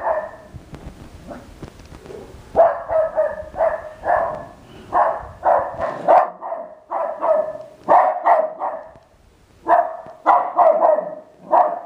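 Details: West Highland White Terrier barking at an R2 robot, rapid clustered yaps in quick runs of two or three, pausing briefly between bursts.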